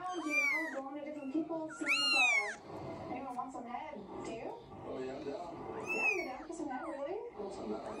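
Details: Litter of seven Scottish Fold kittens aged three weeks calling indoors: a quick pair of shrill, arched mews opens, another comes near six seconds, with continuous low chattering voices and faint squeaky cries between.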